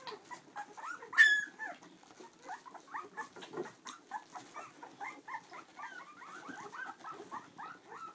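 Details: Litter of Clumber Spaniel pups aged two weeks, lying with mother Tulipa, opens with one sharp loud yelp, then a steady stream of quick, high, chirping squeaks and whimpers, several pups calling over one another.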